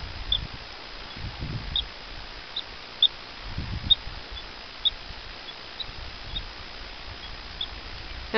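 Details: Evening in western Colorado, a rock chuck or woodchuck keeps chirping at people and dogs: a steady series of about ten short, high whistled chirps, nearly evenly spaced, over a background of wind and rustling.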